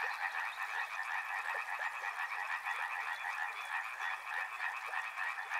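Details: Frogs croaking en masse, a fast, grainy trill layered in two mid-range bands, steady and dense throughout, with occasional slightly louder individual notes poking out.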